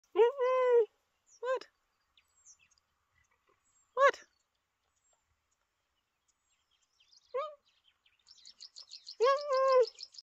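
Cheetah giving short, bird-like chirps with a rich harmonic tone, spaced a few seconds apart.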